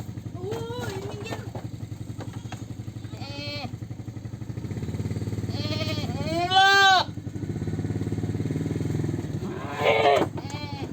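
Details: Goat giving quavering bleats spaced a few seconds apart, two of them loud and drawn out, with fainter short bleats between, against a constant low engine-like drone.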